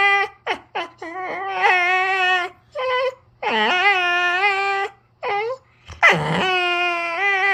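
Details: A sock-obsessed Jindo on a toy mat whines and sulks when its owner pretends to snatch the sock. Short clipped yips give way to long, high, sliding whimpers and cries, broken by brief silences, indoors.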